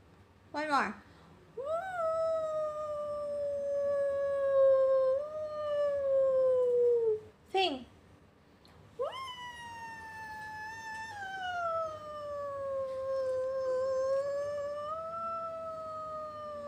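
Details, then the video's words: Pet Lakeland Terrier howling in reply to its owner singing "awoooo": two long, sustained, tonal howls, the first level then sliding gently downward, the second rising then wavering, each preceded by a short sharp yelping onset. "SINGING DOG"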